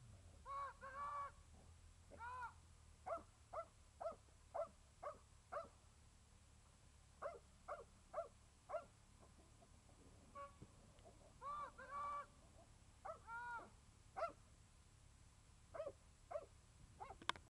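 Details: Belgian Malinois named Boston competing at a ring competition in Amboise, at CECA; bursts of sharp, harmonic barks in quick runs, some doubled or tripled, separated by short quiet pauses over a low background rumble.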